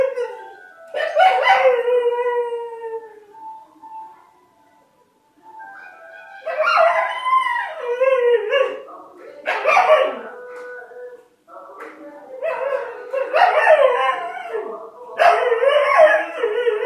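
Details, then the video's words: A singing dog howling in long wavering phrases, each lasting one to three seconds, with sliding tones and a short pause near the middle. "singing dog"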